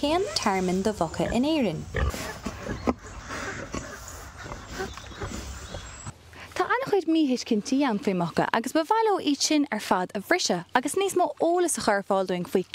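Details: Kunekune pigs, two rescued from the Wicklow Mountains and now living at the My Lovely Pig Rescue sanctuary in Kildare, Ireland; rapid, irregular run of arched, tonal squealing grunts, rising and falling, broken by a quieter noisy stretch midway.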